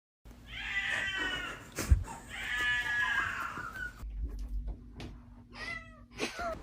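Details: Cat giving two long, drawn-out meows, each wavering and slightly falling, followed by quieter short sounds, with background music and laughter.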